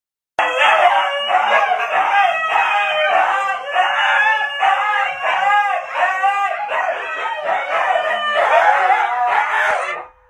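Siberian huskies argue in a long run of wavering, howl-like yowls and woo-woo talking.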